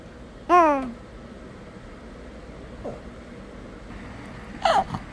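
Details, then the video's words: Shih Tzu puppy Bok-i whining back at its owner as if talking back: one sharp, loud, falling whine with rich overtones near the start, then two softer, shorter whines later in a quiet indoor room. "다시 돌아온 말대꾸 하는 시츄 강아지"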